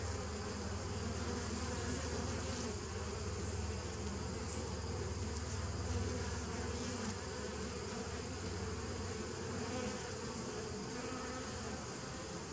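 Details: Continuous hum of bees in a 2017 nuc colony on 27 September 2018, a thick low-pitched drone with a rough, fluttering texture and several stacked tones, holding level the whole time with soft hiss above.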